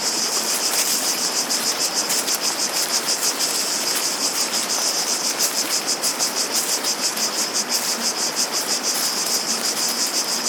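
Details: High, electric-sounding cicada chorus pulsing fast and evenly throughout, backed by a steady wash of running water.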